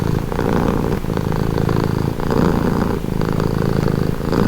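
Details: Domestic cat purring steadily, a continuous low rumbling purr with brief dips roughly every second as the cat breathes in and out, close and dominant, with no other clear sounds.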